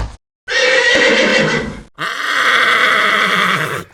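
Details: Real horse whinnying twice, each call a long harsh, wavering neigh of about one and a half seconds with a rough, buzzy tone, separated by a short silent gap.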